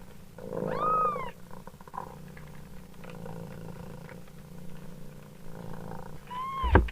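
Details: Low rhythmic purring from a mother cat runs throughout, with a single thin kitten mew near the start and another brief one at the end, followed by a sharp click.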